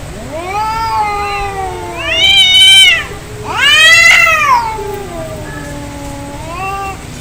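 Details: Angry fighting cats: a low drawn moan leads into two loud, rising-then-falling screaming yowls back to back, ending on a softer wavering howl.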